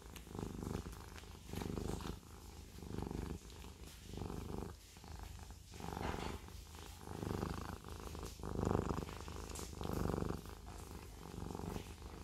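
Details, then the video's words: Siamese cat purring steadily indoors, a low rumbling drone that swells and fades with each breath, roughly 45 cycles a minute, with soft breathy pulses and no other clear sounds. "The Siamese cat purring"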